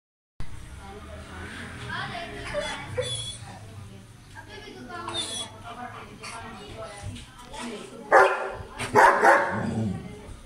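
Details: A German Shepherd, angry at strangers, gives a few loud, harsh barks in quick succession after a stretch of voices.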